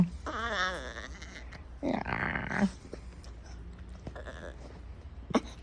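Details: Female puppy wanting attention gives two wavering, bleat-like whines in the first three seconds, then quieter faint sounds and a short sharp noise near the end.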